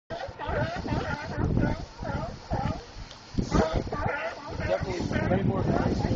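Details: Sea lions near Monterey, California, a chorus of overlapping hoarse, harmonic barks and honks rising and falling in bursts, with several animals calling at once and a steady low rumble beneath.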